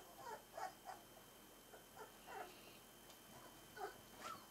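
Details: Smooth-faced Pyrenean Shepherd puppies, four weeks old, make brief, thin whines and squeaks in small bursts separated by short pauses, over a low, even room hiss.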